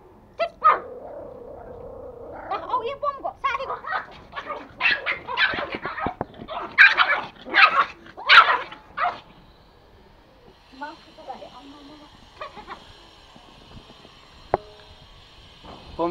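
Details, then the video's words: Toy Pomeranian pet in Kathmandu, Nepal, angry and attacking: rapid bursts of sharp, high-pitched yapping barks mixed with people talking, followed by quieter moments with faint steady tones. "Angry Pomo attacking"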